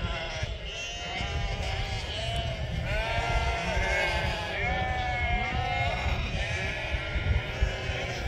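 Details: A large flock of local Merino sheep, hundreds strong, calling hello: many quavering bleats overlap and rise and fall continuously, with bursts of louder, drawn-out baas standing out from the crowd and a low background rumble.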